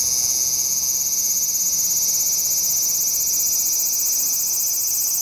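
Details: Autumn song of a large brown cicada, lacking its summer vigour: an even, high, frying buzz that holds without a break.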